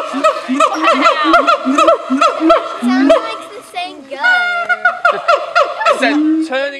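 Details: At a zoo, a siamang gives loud, rapid hooting calls that rise and fall, then swoop into longer wavering whoops.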